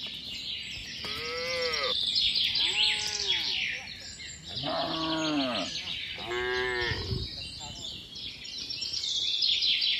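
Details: Cattle returning home to the barn in the rainy season, calves among the herd: four rising-and-falling moos spaced a second or two apart, one deeper and louder, all set against thick high bird and insect chorus.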